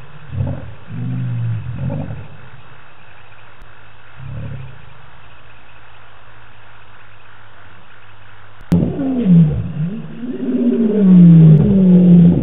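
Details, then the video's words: Lions at night on the Djuma live cam in the African bush, 25 March 2018; a few short low grunts early on, then after a sharp click a louder, sustained deep roar builds toward the end. "Lions roar"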